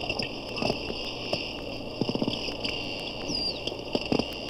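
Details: At a Daytona zoo, probably four porpoises heard through a hydrophone, one occasionally near it: sparse, fairly quiet clicks and short pulse bursts, plus a single gliding descending whistle, under a persistent hum.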